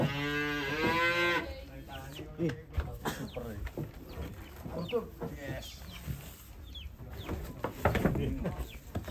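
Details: Cow being unloaded from a truck gives a loud, deep moo with rich harmonics for just over a second, followed by clattering hooves, knocks and scuffing noises from the unloading.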